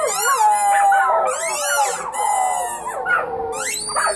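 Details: A family of puppies howling as a group, dense overlapping high wails that waver and bend, sustained without pause.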